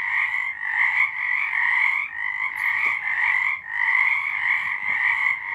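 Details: A chorus of frogs calling at night, March 2023, forms an unbroken wall of trilling croaks, a bright upper band over a lower one, with brief lulls near the middle and a few faint clicks.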